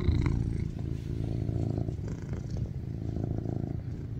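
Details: A rescued male tuxedo cat, born 2019, lies on top of his owner and purrs loudly and steadily, a soft low rumble, craving cuddles.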